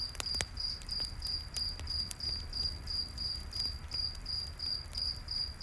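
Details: Cricket in a night forest beside a campfire, giving a steady run of short, high, pure chirps about three per second, while sharp crackles and pops of burning wood and a low rumble sit underneath.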